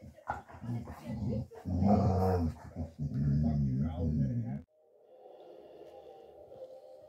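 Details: Male Dogo Argentino mix puppy born August 2023, fostered in Osnabrück, Germany, December 2023: several seconds of deep rough growling in bursts, then quiet with a soft background hum.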